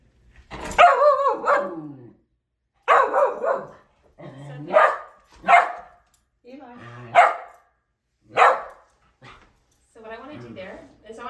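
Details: Pet domestic dog giving watch-dog alert barks indoors at home, barking then running back to its guardian: a run of sharp, harsh barks in bursts roughly every second or two, with a woman speaking in between.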